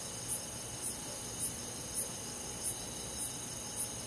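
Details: Summer-night cricket among forest insects in the countryside, giving crisp high chirps roughly twice a second above a continuous shrill insect drone.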